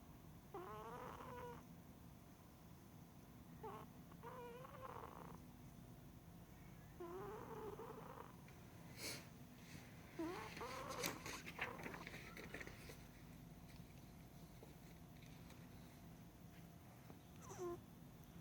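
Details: A pet cat named Baq'a snoring, recorded 9 May 2016: soft, wheezy tonal snores that bend up and down in pitch, coming in irregular bursts over a low, steady hum.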